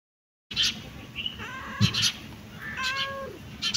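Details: A domestic cat gives two drawn-out, tonal meows, the second sliding downward at its close, with short clicking noises in between and a steady faint hiss behind.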